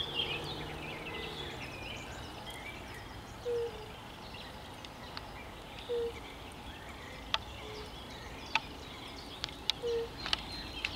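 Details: European fire-bellied toad on 10 May 2021: brief low hollow notes repeated at intervals of a few seconds, with chirping birds and sharp ticks in the background.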